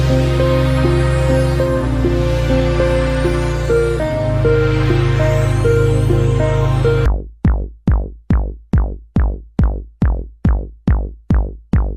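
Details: Loud electronic music with synthesizer chords and a heavy bass gives way after seven seconds to evenly repeated plucked notes, about two per second; no animal is heard.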